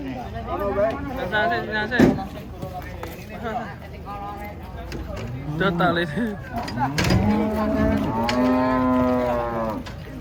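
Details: Cattle arriving by truck at a market; a run of moos of varying length, some short and choppy, ending in a long steady bellow, amid thuds, clanks and background voices.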